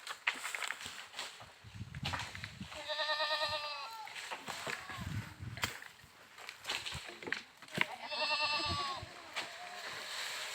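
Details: Goats giving two drawn-out quavering bleats about five seconds apart, rich and nasal with trembling pitch, over a busy outdoor background of rustling and thumps.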